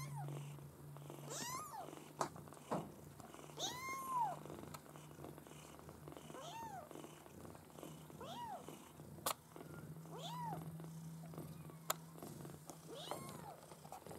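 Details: Litter of bred Maine Coon kittens mewing: thin arched cries, some brief and some drawn out, scattered across the stretch with gaps between, a low steady hum running underneath.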